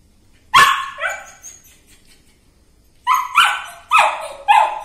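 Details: Dog giving loud, high, ringing barks: one sharp bark with a softer follow-up, a pause of about two seconds, then four barks in quick succession.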